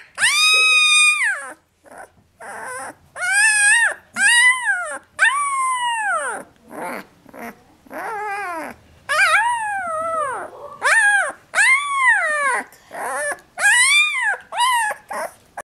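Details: A 12-day-old female Alaskan Malamute/Siberian Husky pup howls in high, rising-and-falling wails about every second, protesting being put back in the basket; she went quiet once picked up.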